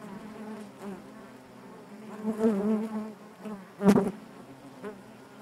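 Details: Steady drone of honey bees within the hive, low and rich in overtones, rising in loudness around two and a half seconds and again in a brief surge near four seconds.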